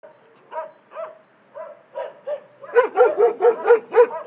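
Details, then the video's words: Dogs barking in an animal shelter: a few separate mid-pitched barks at first, then a rapid run of sharper, louder barks about four per second toward the end. "Szczekające psy w schronisku"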